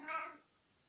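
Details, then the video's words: Nicki, an 18-year-old tomcat, talking to his owner indoors in spring 2020: a single short meow of about a third of a second, harmonic and slightly rising then falling, fading into quiet room tone. "Kater Nicki erzählt - miaut"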